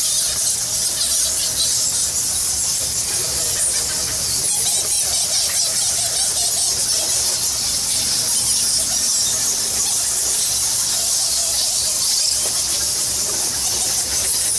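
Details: Thousands of bats in Bali's Goa Lawah temple cave keep up an intense, constant high squealing chatter, with faint voices murmuring beneath the shrill chorus.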